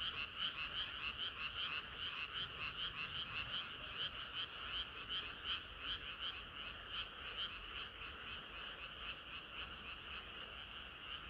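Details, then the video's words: Frogs chorusing on a hot summer night: a thick wall of quick, overlapping croaks pulsing roughly two to three times a second, steady and unbroken throughout, with nothing else audible. "개구리들의 합창은 끝이 없어라"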